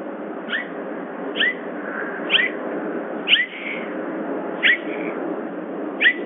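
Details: Summer, a bobcat at Big Cat Rescue, giving her "jip jip squirp": short bright chirps, each a quick rising upswept note, repeated roughly once a second, six bursts over a steady low hum.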